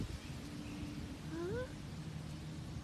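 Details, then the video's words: A fawn gives a single short, nasal bleat that rises in pitch, heard once midway over a steady low rumble of background noise, with a brief spoken question just before. "Bambi really sound"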